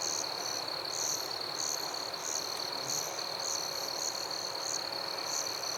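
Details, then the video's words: At night in a forest, crickets and other insects keep up a constant high-pitched trill, topped by sharper, higher chirp bursts arriving roughly twice a second, over a steady wash of insect noise. "Crickets and Insects in Forest"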